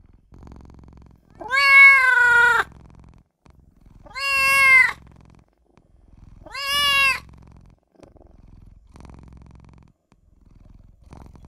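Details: Newborn kitten crying for its mother and owner: three loud, high, harmonic-rich meows about two and a half seconds apart, each held about a second with a slight rise then fall, over a soft low hum.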